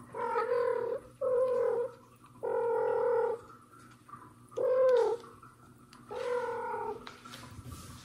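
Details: Mother cat, annoyed, trying to pull out her kitten Mosya that hid from her, with adopted kitten Johnny nearby: five long, harmonic meows about a second each, spaced roughly every 1.5 seconds, indoors.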